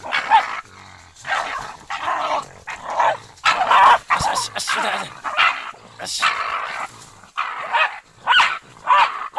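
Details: German hunting terrier barking twice in a row, short sharp barks in quick bursts over about nine seconds, mixed with overlapping human voices.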